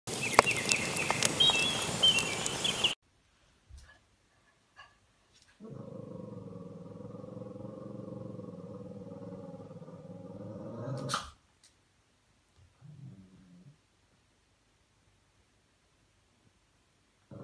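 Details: Shih Tzu dog playing with its new Shih Tzu pillow: a harsh, noisy burst opens, then a steady low rumbling growl holds for about five seconds before quiet, broken by a couple of short soft grunts.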